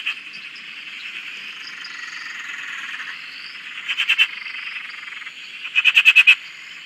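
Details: Frogs at a dam in Australia: a soft high trilling chorus, then two sharp bursts of rapid clicking croaks near the end, the second a run of about six loud evenly spaced pulses.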